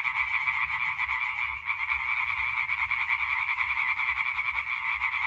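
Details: Many European tree frogs croaking in concert on 20 May 2023, a continuous chattering chorus of quick, harsh repeated notes blending into a steady roar, with a brief dip in intensity midway.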